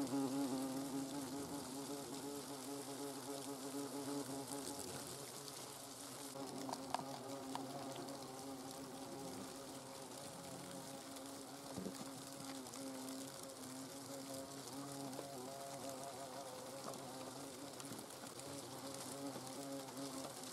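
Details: Hornets inside their nest in the Eifel, Germany, giving a steady, layered droning buzz with stacked humming tones that waver slightly and hold throughout.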